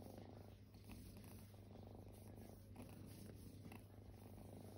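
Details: Purring from resting kittens that were once homeless: a quiet, continuous buzzing rumble, rising and falling with breaths about every second, with occasional faint rustles.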